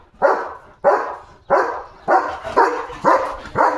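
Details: A German Shepherd in the evening, on guard duty after spotting another dog outside the gate, barks loudly and deeply, a steady run of harsh barks about twice a second.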